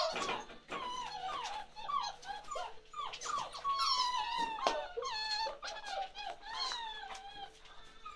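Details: A litter of 47-day-old chocolate Labrador Retriever puppies born to Ruby cries insistently, high wavering whines and squeaks that slide down in pitch, several pups overlapping almost without pause in an indoor room.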